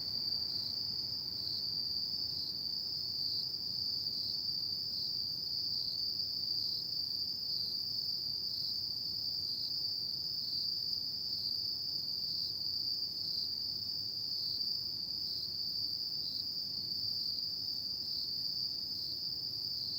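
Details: Autumn insects calling at night: a steady, shrill high-pitched trill that runs unbroken through the whole stretch with a faint pulsing texture. A low background hum sits beneath it.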